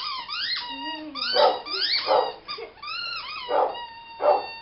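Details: Foster dog in the background of a home, barking because he loves squeaky toys and wants to play; four short, sharp barks among high, rising squeaky tones and whines.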